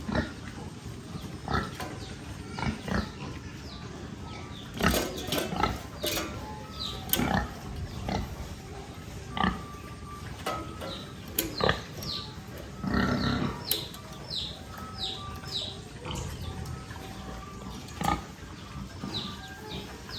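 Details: Little piglets on a rural pig farm give short noisy grunts and squeals in scattered bursts, with a longer squeal near thirteen seconds, while small birds chirp steadily in the background.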